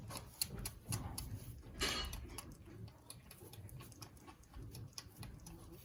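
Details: A Boer goat kid, a male, nurses from its mother at suppertime on a commercial meat goat farm in mid Missouri, making uneven wet lip smacks, clicks and gulps with a soft low rumble. A person speaks briefly in the background.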